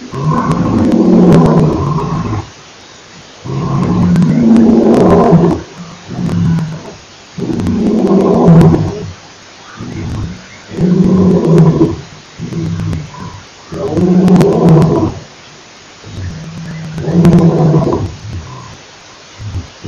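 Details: Roaring of a male lion at Nkorho Pan on 28 September 2008: loud, deep, rumbling bursts about two seconds long, repeated every two to three seconds, six bouts with short gaps of quiet between them.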